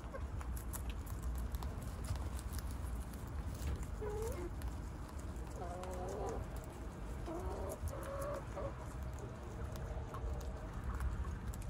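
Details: Several brief, tonal guinea pig squeaks, recorded 12 March 2021, come and go in small clusters, some wavering slightly in pitch, over a constant low rumble with occasional clicks and knocks.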